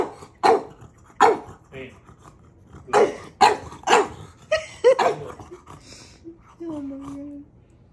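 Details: Pet dog Maui pestering his big brother with a string of abrupt, punchy barks, several in quick pairs, ending with a drawn-out whine that slides down in pitch, while a person speaks faintly.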